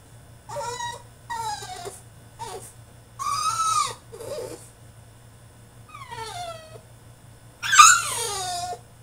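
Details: French Bulldog in his cage during a tantrum, producing short whimpers and cries that bend down in pitch. A louder squealing yelp near the end, indoors.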